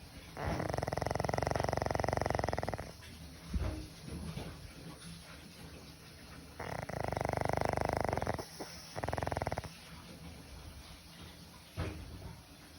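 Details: Senior pug dog asleep and snoring much like a person. Long buzzy rasping inhalations two to three seconds long, separated by softer snuffles and a brief pause, with steady low indoor hum.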